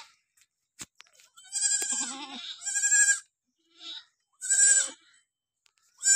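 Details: Barbari goat bleating at a farm in Bidhuna, Auraiya, Etawah, Uttar Pradesh: loud, nasal, wavering cries, two long ones run together, then a short bleat and another strong one, with a few clicks.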